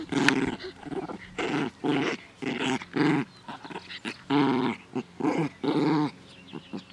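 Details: A female dog playing happily in a garden on 17 May 2014 in fine weather, giving a series of short, rough growling bursts about every half second, some with a whiny edge. Brief quiet gaps fall between them.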